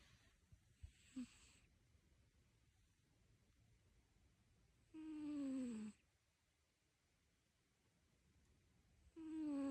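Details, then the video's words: Domestic cat snoring indoors, three whistling, slightly falling nasal tones with a breathy hiss, each about a second long and spaced roughly four seconds apart, quiet room between. "Snoring Cat"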